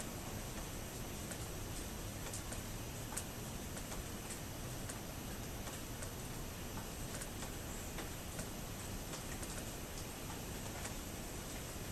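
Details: Steady broadband background noise with faint regular ticking clicks and no clear animal voice.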